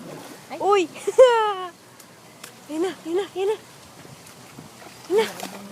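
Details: Sea lions at Sea Life Park, summer 2011, give scattered honking barks: two early ones, one drawn out and falling, then a quick trio of short barks and a final bark, with human voices in between.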